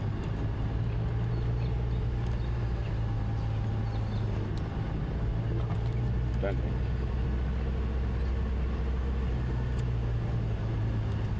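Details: A steady vehicle engine drone fills the recording, with faint speech and no animal calls.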